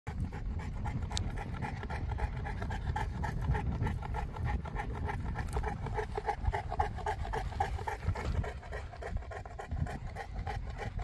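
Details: Boerboel (South African Mastiff) kept in Egypt, panting heavily: steady, rapid, rhythmic breathing throughout, low and rough.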